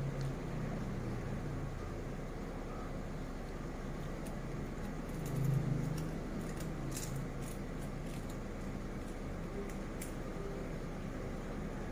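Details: Steady low rumble of road traffic and vehicle noise throughout, with a few faint clicks and a brief louder passing swell near the middle.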